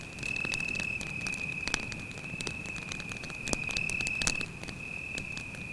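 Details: Cricket at night beside a forest campfire: a steady, unbroken high-pitched trill runs through the whole stretch, dropping briefly near the end, while the fire snaps and pops with sharp crackles.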